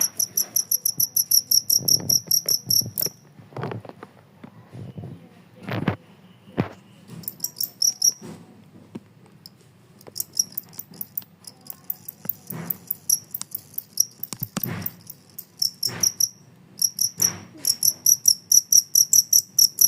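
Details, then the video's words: Two-spotted cricket chirping on in a noisy setting: rapid, high, metallic chirps in fast trains, pausing and resuming, against low rumbling background noise and several sharp knocks. "suara jangkrik kalung suasana gaduh pun tetap ngerik"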